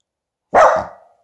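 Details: A single sudden bark from Finlay the Tibetan Spaniel, startled by a balloon given to him as a present; the bark bursts out loud and fades over about half a second.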